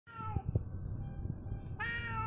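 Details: Domestic cat, just home, angry and hungry, giving a long drawn-out meow held steady for well over a second, then a second higher meow starting, over a low steady background rumble with a few soft thuds.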